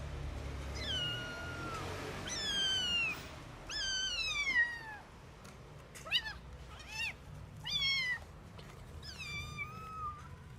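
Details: Abandoned kitten rescued after surviving two days in -11°C snow without food or shelter meows repeatedly, about seven high, thin cries in ten seconds, most sliding downward in pitch, over a low rumbling background.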